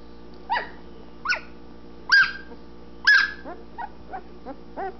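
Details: Anatolian Shepherd Dog puppies, twelve days old, eyes starting to open, exploring the whelping box: a run of harmonic yelps and whines roughly once a second, two loudest in the middle, softer squeaks trailing off, low hum beneath.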